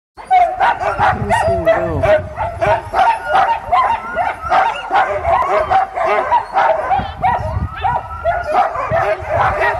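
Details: Sled dogs at Caribou Crossing, Yukon Territory, just before the sleds take off; a dense, excited chorus of many dogs barking and yipping nonstop, with high whining yelps woven through.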